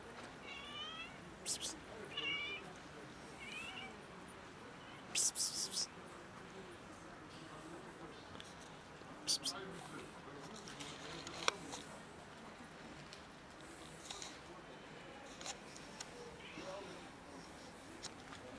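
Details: A family of cats and a kitten gathered for a feeding give several short, faint, rising meows early on over a steady hiss, followed by sharp clicks and clattering.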